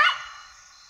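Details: Side-striped jackal giving a single sharp yelping bark at night in the African bush, Kafue National Park, Zambia; an abrupt loud onset fading quickly, over a steady high insect hum.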